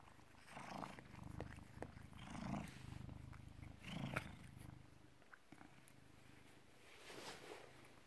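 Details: British Shorthair cat born 18 August 2010, filmed indoors on 16 November 2017 at 16:33, purring a low steady rumble that swells louder near two and four seconds, with faint clicks and rustles over it.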